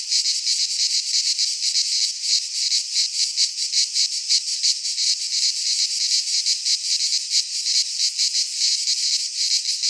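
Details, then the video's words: In a Greek pine forest at midsummer, cicadas sing together in a harsh, shimmering buzz that swells and dips in rapid pulses, continuous throughout, nothing else audible. "Cicadas singing in midsummer - Nature sounds from the Greek fauna - Sounds of cicadas"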